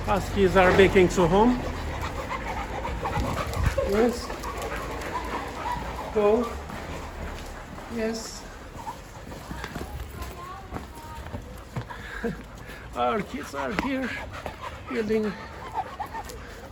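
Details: Two overexcited Siberian Huskies on a long walk home from a dog hotel: bursts of high, wavering whines and yips rising and falling, with quick panting between them and people talking over and around the dogs.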